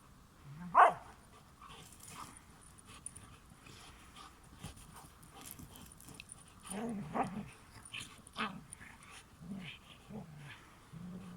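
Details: Pet dog Sif alongside her best friend Springer; one sharp, loud yelping bark opens, followed by softer low grumbles and whining growls repeated every second or so.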